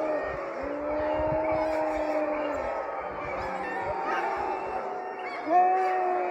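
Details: Several sled dogs from a sprint racing kennel howl together in a sustained chorus of long, steady, overlapping tones, some rising at the start and holding level, with a louder new howl joining near the end.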